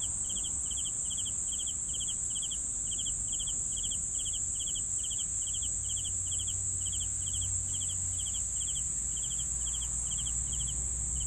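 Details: Steady, regular cricket chirps, each a quick trill of a few pulses, repeated about every half second against a constant high-pitched insect whine and faint low noise.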